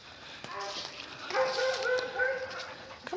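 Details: Dog at play with visiting guests in the nature park of The Dog resort: a drawn-out, steady whining tone held for over a second, ending in a short upward slide, with people's voices and movement in the background.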